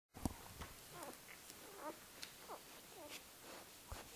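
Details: Four-day-old Great Pyrenees puppies from a litter, indoors on Halloween night: soft high squeaks and short rising-falling whimpers scattered through, with faint rustling between.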